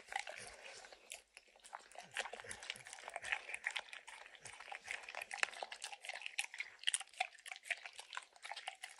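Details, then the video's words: Max, a dog with a big licking habit, works peanut butter and kibble out of an orange mat: crisp, close wet licks and crunchy chewing, dense and uneven, in a quiet room. "Dog Licking Sounds"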